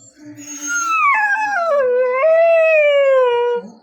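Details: Nine-month-old puppy Chikku in India wails because his father went without him; a loud, drawn-out howl stepping down in pitch, then rising briefly and sliding down again, with soft background music.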